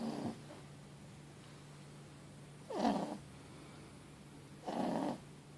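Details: Loud sleeping snores from Mochi, a four-month-old Boston Terrier x French Bulldog puppy resting after a long day. Three coarse snorting breaths come roughly two seconds apart, the middle one sliding downward, over a faint steady hum.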